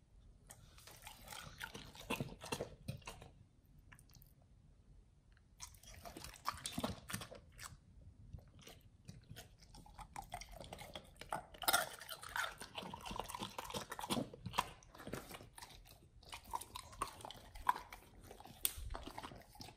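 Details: Pit Bulls eating a raw feeding combo of beef trimmed chunk, quail egg and duck wing indoors; wet crunching and tearing bites come in dense bursts, with a quieter pause near five seconds.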